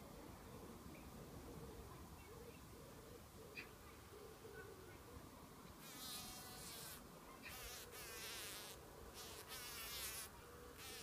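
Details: A bumblebee being captured by a spider gives a low, droning buzz that swells into loud, ragged bursts of frantic buzzing.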